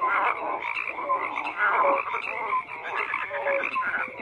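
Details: Many frogs croak at once, a thick, buzzing chorus of rapid pulsed calls with occasional brief clear tones, slightly quieter toward the middle, then building again.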